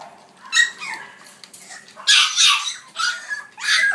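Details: Female French Bulldog puppy born 14 July, described as sturdily built, giving short high-pitched yips and whimpers in a few separate bursts, with quiet pauses between them.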